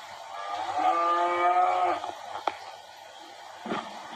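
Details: Cattle being worked at a ranch in Valle de Zaragoza and Huejotitán, Chihuahua, Mexico, sorted as future commercial breeding cows; a single drawn-out, steady-pitched, harmonic-rich moo lasting over a second, followed by a sharp knock and faint clatter.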